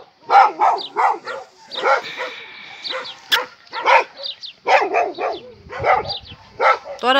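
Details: Rapid, yappy barking from a dog, bursts coming several per second with brief pauses, while a person's voice murmurs faintly underneath.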